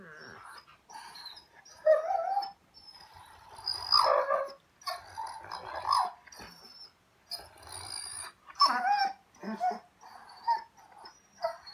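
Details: German Shorthaired Pointer named Raven, a pet dog said to always have something to say, talking back in bursts of whiny, moaning vocal sounds with short pauses between, plus a faint high background tone.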